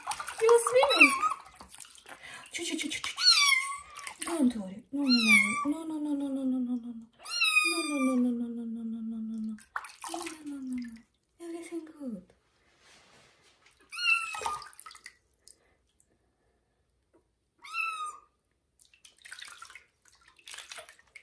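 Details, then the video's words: Kitten protesting its first bath in a bathroom: repeated high, drawn-out meows, some bending downward, spaced irregularly every few seconds, over a woman talking softly to it, with occasional light splashing. "First bath for kitten Johnny and its loud meow"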